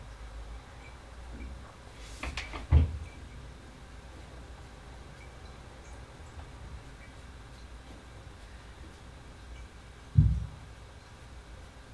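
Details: A quiet room is broken by a brief sliding scrape and two dull knocks, like a door or cupboard closing.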